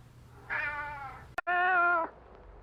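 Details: Two drawn-out kitten meows from kittens playing on green grass, the first slightly falling and the second steadier and louder, split by a sharp click.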